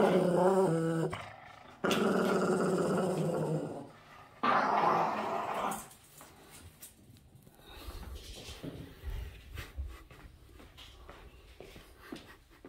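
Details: A Boston Terrier guarding his socks indoors gives short rough growls with a few higher whining tones, then two longer rumbling growl bursts, before the room falls to quiet background shuffling and light knocks.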